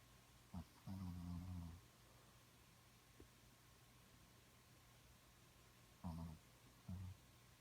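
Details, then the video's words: Dog named Smokey dreaming in its sleep, giving low buzzy snores and whimpery grunts: a brief blip, a longer one-second rumble, then two short snorts near the end in a quiet room. "Dog Dreaming and Snoring"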